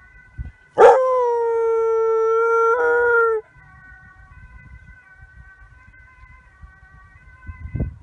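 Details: ['German Pinscher howling in response to a siren: one loud steady tonal howl held nearly three seconds with a brief pitch break near the end, followed by a faint distant siren tone continuing over low rumbling background noise.']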